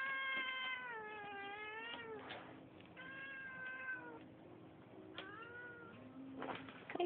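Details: A neighbourhood cat with a bit of an attitude gives a series of drawn-out, wavering meows, three long tonal cries with small breaks between, while a man talks to it softly.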